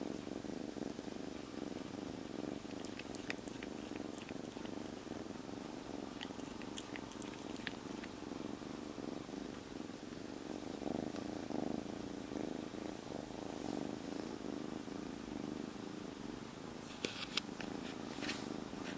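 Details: A steady, unbroken purr comes from a formerly stray kitten three days after rescue, calm and tucked into a jacket. Scattered clicks and light scratching rustles sit above the rumble, with a short burst of rustling near the end.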